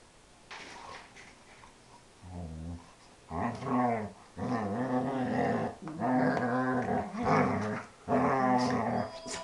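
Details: Dobermann at play, its growls almost mooing like a cow: a quiet start, then four long, loud, harmonic moaning growls of about a second each, separated by short pauses, indoors.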